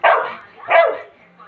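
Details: Angry Labrador Retriever giving two loud harsh barks about half a second apart, then quiet.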